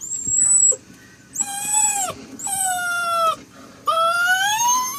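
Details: Faith, a Saint Dane puppy, making strange sounds: a thin high squeal, then three long, loud, tonal whining howls, each holding steady before bending downward at the end, the last one rising slightly.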